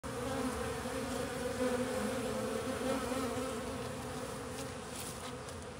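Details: Western honey bees (Apis mellifera) on a 140-year-old farm make a steady, low droning wing buzz that swells and fades slightly.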